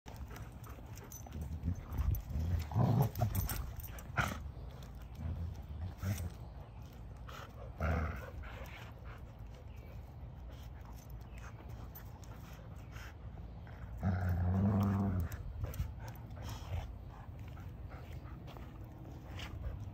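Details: A Golden Retriever puppy and a Springer Spaniel puppy playing tug of war in a backyard give low, rumbling growls in short bursts, with scuffling thumps between them.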